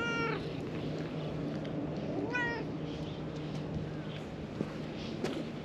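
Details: Free-roaming cats on a Japanese cat island, a milk-tea coloured cat and an orange tabby, leading the way to their hideout; two short high harmonic meows, the second downward-sliding, over steady outdoor background noise and faint clicks.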